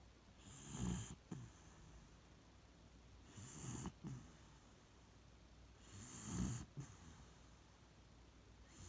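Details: Beagle named Shiloh asleep in its usual spot, snoring in three deep, rasping breaths roughly every two and a half seconds, each a low rumble with a breathy hiss on top, short quiet gaps between.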